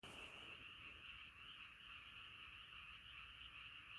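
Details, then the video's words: Frog chorus: a dense, unbroken shimmering trill of many frogs calling together, high and steady throughout, with faint low background rumble. "자연의 소리 개구리소리"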